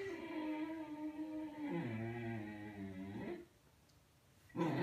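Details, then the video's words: Seven-month-old male Xolo puppy, the Mexican Hairless dog, objecting to his own reflection in a mirror at home: a sustained, tonal growl-howl that dips lower, climbs back up, breaks off, then resumes loudly after a short silence. "Xoloitzcuintli doesn't like what he sees in the mirror"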